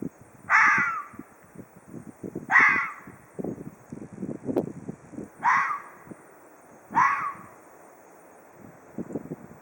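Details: Ezo red fox calling in a hoarse voice: four harsh, raspy barks spaced about one and a half to two seconds apart, each a short burst, with low rustling and scuffing noises between calls.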